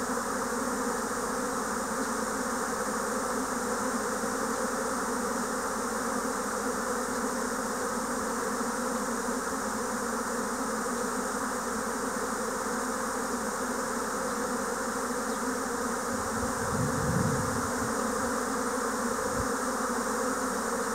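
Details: Japanese honeybee swarm, spring 2024, bees streaming all around: a long, steady wall of buzzing with a low hum and airy high whir, plus a short low rumble late on.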